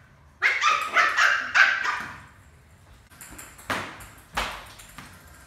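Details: Milo, a playful Lhasa Apso puppy adopted as a pet, playing doggy cricket: a quick run of four sharp, high yapping barks, then a pause and two fainter clipped yips with knocks of play.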